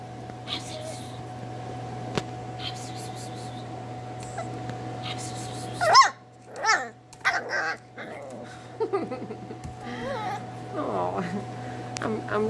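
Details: Young Miniature Schnauzer puppies indoors giving short bursts of yips and thin, rising-and-falling whimpers in the second half, mixed with a person talking, rustling and a constant low hum.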